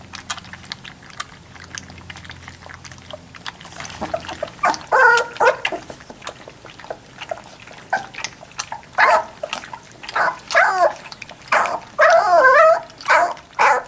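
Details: Labrador Retriever puppies at three weeks old, giving a series of high, wavering whimpers and squeaky yelps that start a few seconds in and repeat every second or so, with soft rustling between them.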